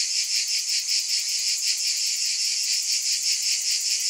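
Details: Shrill cicada chorus, a continuous hiss-like drone throbbing in regular waves roughly every 0.4 seconds, with no other sounds.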